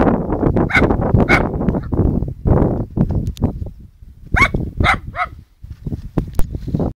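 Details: A poodle scolds a radio-controlled model plane with loud, sharp barks: a pair near the start, then a quick run of three about halfway through, amid heavy low engine rumble and wind noise.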